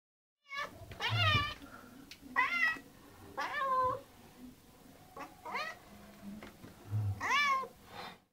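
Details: Two domestic cats meowing for food indoors; a series of about six drawn-out, wavering meows with falling and rising tones, separated by short pauses, with quiet background.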